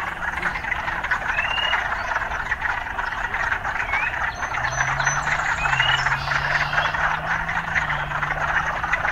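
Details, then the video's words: Urban frogs calling in a dense, unbroken croaking chorus with a few scattered rising chirps; a low, steady engine-like hum joins midway and holds to the end. "Urban Frogs"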